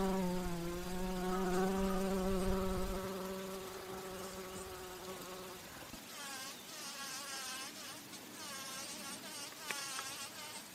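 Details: Bumblebee drinking nectar at flowers and flying; a strong, steady, low droning hum for about five seconds fades away, followed by softer, higher wavering buzzes and rustling.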